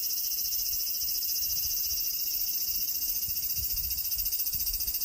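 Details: Large brown cicada giving a long, steady, sizzling high-pitched buzz with a fast regular throb running through it, unbroken from start to end.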